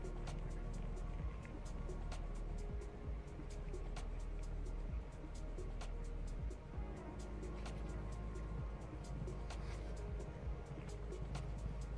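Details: Background music over a steady low rumble with regular sharp clicks, with no animal voices heard.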